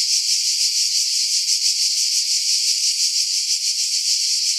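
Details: Loud, dense cicada buzzing in pines at Pefkos Bay, Skiros Island, Greece, July 2018, about 50 m above the sea; a bright hissing drone with faint, irregular throbbing, recorded in strong wind and filtered to keep only high tones.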